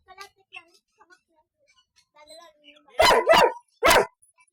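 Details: Two-year-old Golden Retriever barking in three hoarse, broadband bursts near the end: a quick double bark, then one more. Faint scattered noises and soft voices come before the barks.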